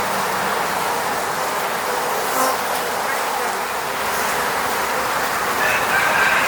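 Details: Continuous hum of honey bees flying around a beehive in the countryside outside Moscow, filmed on a Sony a7 III; an even droning buzz with a brief louder pass, then a faint high whistle near the end.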